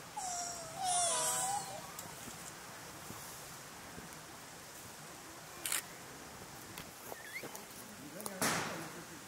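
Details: Wild golden snub-nosed monkeys in a group in China squabble in an argument, a burst of wavering, quavering calls, then fall mostly quiet.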